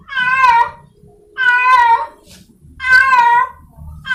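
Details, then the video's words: A wild cat in heat, seeking a partner, gives loud, long wailing meows, three in four seconds, each rising then sliding down with rich harmonics; a low background hum sits beneath. "Suara Kucing liar sedang birahi mencari pasangannya | The sound of a wild cat in heat"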